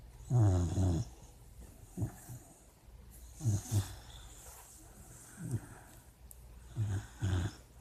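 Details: A dreaming puppy snores in its sleep: deep, rattling low snores in short bursts roughly every one to two seconds, with quiet breathing between them.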